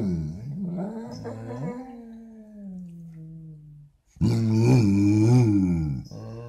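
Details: Basset Hound in a morning "conversation": a low, wavering groan that rises then slowly sinks and fades. After a short silence comes a loud, rough, fluctuating howl-like moan.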